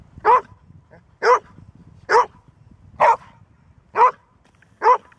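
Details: Golden Retriever that seldom barks, barking only when it must: six loud, deep single barks spaced roughly a second apart, each short and even, over a quiet background.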